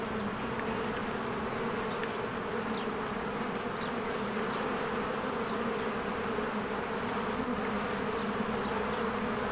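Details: Honeybee swarms flying in and out of their hive in spring among blooming flowers: a dense, steady buzzing hum with bright bands low and mid, unbroken throughout, faint chirps of other insects or birds above.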